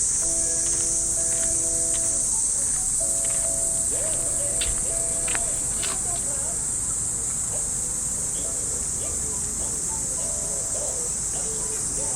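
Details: An unbroken, high-pitched cicada drone fills a Japanese park on a summer morning walk. Distant radio calisthenics (Rajio Taiso) music and a voice sit beneath it, with occasional sharp clicks.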